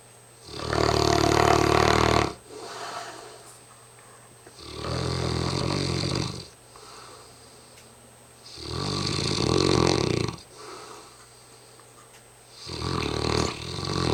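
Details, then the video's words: Hamish, a very tired mastiff, snoring heavily: loud, rasping rumbles about two seconds long come roughly every four seconds, with softer, quieter breaths between them in a small indoor space. "Hamish the mastiff snoring up a storm"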